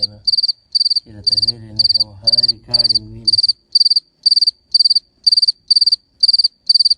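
A cricket gives steady, high, pulsed chirps about twice a second, the male's call to attract females.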